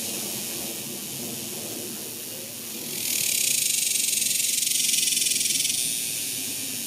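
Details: Cicadas in summer, 2021: a faint high hiss that jumps to a loud, pulsing electric buzz after about three seconds and holds, with only soft low rumble beneath.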